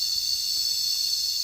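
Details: Cicadas buzzing in a steady, unbroken, high-pitched drone that holds one even level from start to finish, with no other sounds present.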